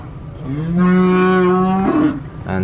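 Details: A cow gives a long, low, steady moo that swells and then breaks off, as cattle are being released from a truck on a farm.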